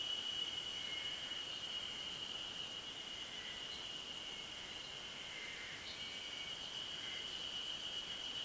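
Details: Yezo spring cicadas singing on a ridge of the Ashiu primeval forest at 900 m elevation, 26 May 2012: a steady, high, ringing drone held throughout, with faint short whistled notes from other callers drifting over it.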